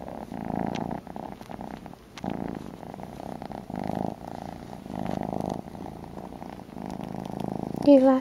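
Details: A baby male cat purring indoors while wanting a bottle; rhythmic low rumbling cycles of about a second continue quietly throughout, ending with a brief soft human voice.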